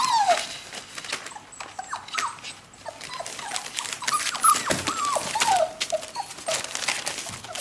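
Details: Hungry four-week-old whippet puppies near the birth den give scattered thin, falling whimpers while their mother eats, mixed with frequent clicks, scrapes and crinkling noises.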